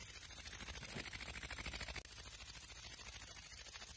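A grasshopper gives a dry, hissing buzz made of rapid, evenly spaced rasping pulses.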